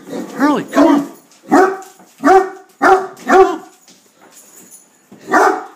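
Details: Great Dane Hurley in attack mode against a beer keg: opens with two arched, wavering yelps, then a run of five deep, heavy barks about half a second apart, a final bark after a pause.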